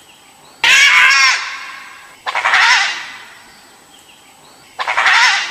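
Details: Dhole (Cuon alpinus), the Asiatic wild dog, recorded in 2021, gives three loud, harsh, wavering screaming calls, about two seconds apart.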